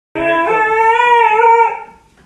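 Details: Siberian Husky screaming because its owner won't let it go outside: one loud, drawn-out harmonic wail indoors, steady then slightly wavering before fading after about two seconds.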